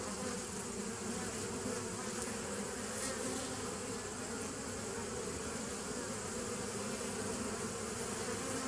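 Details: Steady hum of many bees recorded 27 September 2018, droning evenly throughout with overlapping low and mid humming tones.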